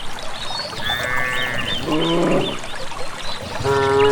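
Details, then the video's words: A herd of village cattle walking calmly without a herder toward a green valley pasture; short harmonic lowing calls break out in overlapping bursts, with a steady trickle of water and faint bird chirps behind. "suara asli khas sapi"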